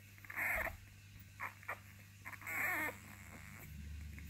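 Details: A litter of Basenji puppies: brief high whimpers, then a longer wavering whine, ending in low rustling and hum.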